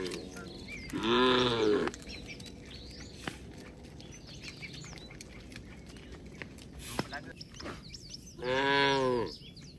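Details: Tame cattle from a herd walking home along a rural road with their herder: two long, arching harmonic moos, the first near one second in and the second near the end, with small birds chirping and twittering throughout.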